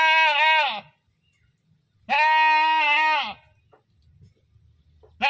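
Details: Loud screaming bleats from a goat, a strained cry under a second followed by a longer trembling one over a second, and the start of a third, with faint rustling between.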